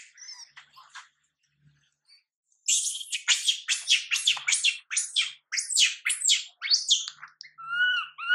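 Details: Young monkey MILA crying while her mother MILIKA ignores her; after a few soft squeaks, a run of harsh, high screams bursts out roughly twice a second, ending in thinner whining notes.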